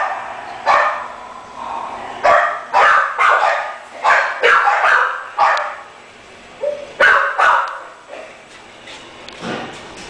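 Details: Indoors a French Bulldog barks repeatedly and rapidly, in uneven clusters of sharp, mid-pitched yaps with brief lulls between them.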